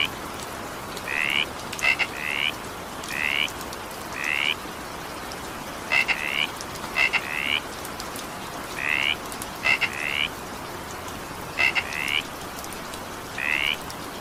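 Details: A frog croaks through steady evening rain, giving rising buzzy notes in pairs and singles, some preceded by sharp clicks, repeated roughly once a second over the rain's even hiss.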